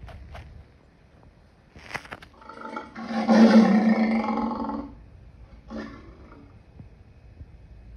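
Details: One drawn-out, coarse lion roar of about two and a half seconds, framed by shorter grunting bursts before and after.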